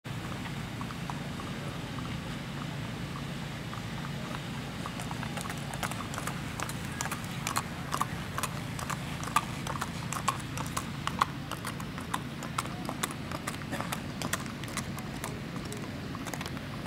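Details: Hoofbeats of a strawberry roan Tennessee Walking Horse stallion ridden by a young girl on a ladies' trail ride in Macedonia, Texas; sharp clip-clop strikes become clearer midway, over steady low rumble.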